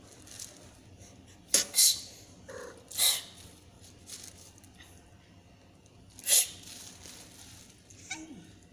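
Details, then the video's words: Frightened kitten hissing at the person filming: short breathy, airy bursts, a quick double hiss early, then another a second later and one more near the end, over a quiet low background hum. "kitten hisses at me | kitten is afraid of me"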